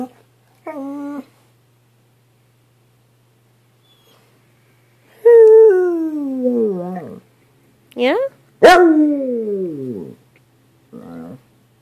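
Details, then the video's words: Rescue female black and tan coonhound, perhaps mixed, baying and 'talking' to her owner at home: short yelps and longer bays that slide downward in pitch, some rising first, in bursts between bits of the owner's affectionate speech. "coonhound baying"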